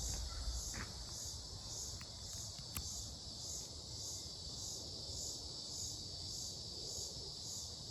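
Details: An unidentified insect, which the recordist suspects may be cicadas, gives a steady, high, shrill buzz swelling in soft pulses about twice a second, in Mankato, Minnesota, on 18 July 2025.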